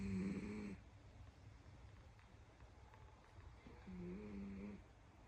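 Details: Sleeping domestic cat curled up at nap time, snoring with a loud rumbling purr-like sound. Two low, buzzy, droning snore bursts arrive about three and a half seconds apart, with quiet breathing between them in a still room.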